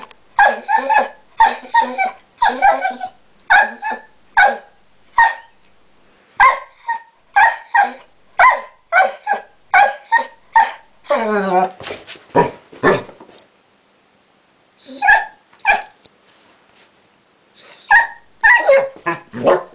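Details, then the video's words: A Basset Hound that has recently learnt to 'talk' makes a long series of short, moaning, voice-like yowls in rapid bursts. Several calls bend and wobble in pitch, followed by pauses and further groups of yowls. "Chester Talking"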